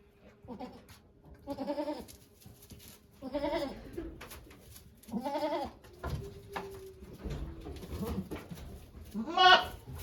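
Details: Domestic goat named Okayu at Yoshigake Farm, Japan, giving birth to two kids on 3 May 2023 while volunteers watch; three loud, quavering bleats with wavering pitch, spaced a couple of seconds apart, plus faint rustling and a steady low hum.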